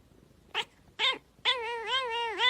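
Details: Domestic cat making a funny sound: two short chirping notes, then a long, wavering, nasal yowl with a steady tone and a dip near the end, indoors.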